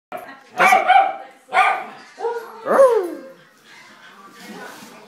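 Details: A worked-up pet dog gives four loud, short howling yelps about a second apart, each sliding downward in pitch with a rough, harmonic tone, then fading to quiet room noise.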